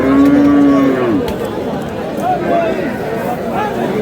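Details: Lean cow at the Aftabganj cattle market on 11 July gives a long, steady, low moo of about a second that slides downward at the end, then busy market chatter and murmuring voices continue with fainter calls behind.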